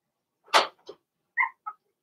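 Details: Blenheim Cavalier King Charles Spaniel puppies, Remy's first litter of six born March 7–8, in an indoor puppy pen: a short harsh yelp followed by two brief high squeaks.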